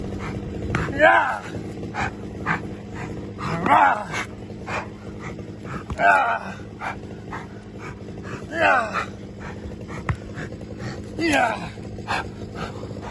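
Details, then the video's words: Giant Schnauzer named Uran von Elberfeld doing protection work with a decoy; loud barks with a sweeping pitch arrive in bursts roughly every two and a half seconds over steady background noise. "giant Schnauzer working!"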